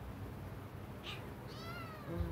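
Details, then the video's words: Very sick kitten producing one drawn-out, slightly wavering meow late in the clip, preceded by a brief faint squeak, with constant low rumbling background hum. "my kitten very sick"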